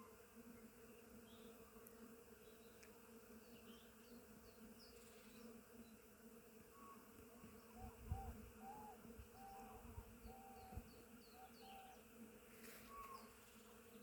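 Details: Swarm of bees working a blooming willow in spring: a continuous even droning hum, with a run of soft whistled bird notes and occasional faint chirps over it midway.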